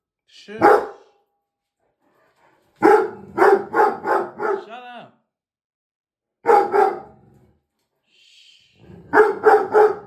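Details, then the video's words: Dog barking at its reflection in the mirror, giving loud barks in quick clusters of four or five with short silent gaps between bursts, and a brief whining tone after the first run. "Dog barking at the mirror"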